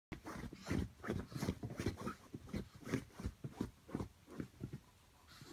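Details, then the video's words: Brussels griffon Rocco pawing at its bed indoors, trying to fluff it up: quick dull scratching thumps and soft snuffles, roughly two to three a second in an uneven rhythm, no other clear sounds. "Brussels griffon trying to fluff bed"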